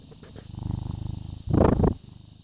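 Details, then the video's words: Purring British Shorthair cat, born 18 August 2010, filmed 14 May 2017 at 09:16; a low pulsing rumble is cut by a short, louder, broader burst of sound in the middle before the purr resumes. "British Shorthair Cat purring"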